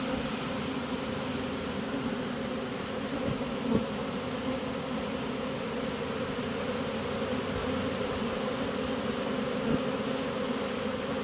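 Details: Swarm of honey bees moving into a new home once they accept it, producing a continuous layered buzz, even in loudness, with two brief knocks near four and ten seconds.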